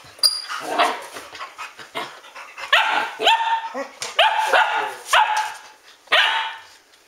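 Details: A group of Standard Poodles, the Arreau kennel dogs, barking at home at 12:10 at night in August 2014: repeated ringing barks with upward-sweeping yelps, roughly one loud bark each second, several dogs overlapping, with occasional human voices.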